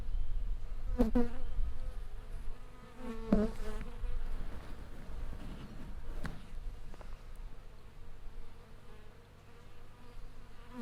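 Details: Honey bees swarming around a wild hive in a tree: continuous low droning hum from many insects, with a few louder passing buzzes and faint knocks.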